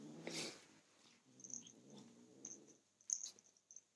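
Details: Young male kitten defending his toy from a person reaching for it, giving a soft, low, throaty growl that swells and fades between faint rustling noises.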